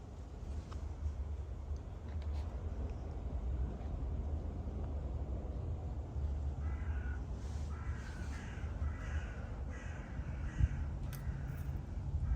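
A serval gives harsh, cawing calls over the steady roar of a vacuum cleaner.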